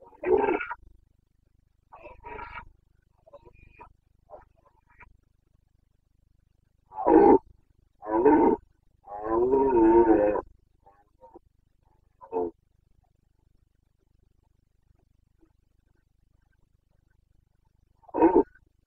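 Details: Rutting Carpathian stag in the Bucovina mountains of Romania, breeding season, 29 September 2022, gives a series of gravelly roars: short bursts, then a long drawn-out bellow near the middle, and a final isolated roar after a pause.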